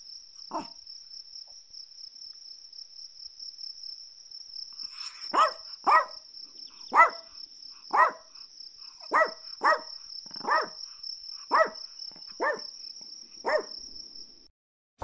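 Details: Chihuahua yapping after a quiet opening: one early bark, then a run of about ten quick high barks close together, over a persistent high-pitched insect-like drone that stops near the end.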